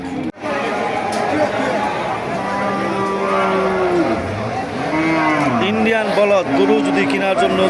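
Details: Indian cattle at a livestock market in Thakurgaon district, Bangladesh: several drawn-out, harmonic moos, some rising and falling, overlapping busy crowd chatter and market noise.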